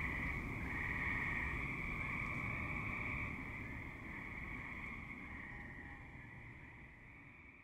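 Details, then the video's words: A chorus of tree frogs, active in a suburban setting at dusk and night. It begins as a bright, continuous trilling drone, then gradually fades and thins toward the end, with a steady low rumble underneath. "Tree Frogs - Dusk / Night - Suburban"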